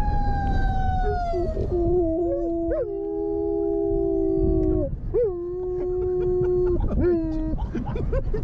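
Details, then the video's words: Siberian husky and German shepherds howling together while driven through a neighborhood, set off by police sirens: long sustained tonal howls held steady then breaking into short rising and falling wavers near the end. "SIBERIAN HUSKY HOWL OFF"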